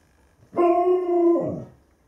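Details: Alaskan Malamute, one of several adults kept with puppies at a kennel, giving a short steady howl of under a second with strong harmonics, then a falling tail-off.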